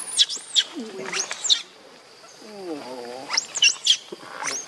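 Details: Baby monkey Leo, missing its mother, gives high, sharply arched squealing cries in short bursts, with a lower wavering, quavering moan in the middle and a steady faint background hum.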